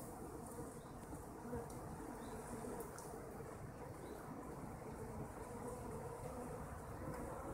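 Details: Kept honeybees giving a continuous low, rough buzz that holds at an even level for the whole stretch, with a few faint high-pitched ticks and chirps above it.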